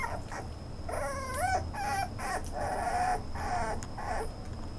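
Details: Whimpering toy poodle giving drawn-out, wavering nasal whines and short yips in quick succession, against a constant thin high-pitched hum and low room noise.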